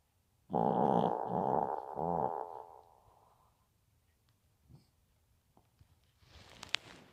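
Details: Maltese pet dog Bibi snoring once, a harsh buzzing rattle of nearly two seconds that trails off, followed by quiet with a few faint clicks and a brief rustle near the end.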